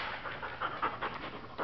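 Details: A female Border Collie awaiting adoption pants in short rhythmic breathy bursts, roughly five per second, while a person quietly praises her.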